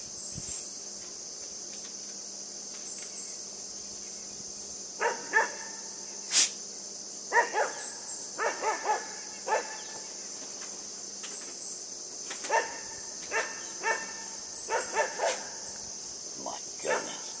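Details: Yufie, a puppy, plays with a buck, letting out brief, scattered yips and barks, some single and some in quick pairs, over about twelve seconds. A constant shrill insect drone fills the background.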